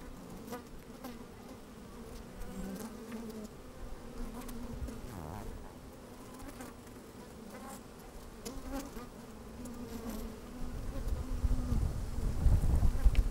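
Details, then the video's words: Bees moving about inside an open hive, sunny and a bit windy, microphone placed down in the hive: a wavering hum with harmonic layers, bees occasionally buzzing, and a gusty low rumble building toward the end. "Open Beehive - One Hour Video and Audio"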